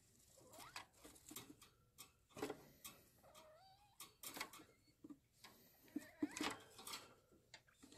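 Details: A female pet degu kept at home gives short, warbling squeaks that slide up and down, between sharp clicks and rustling.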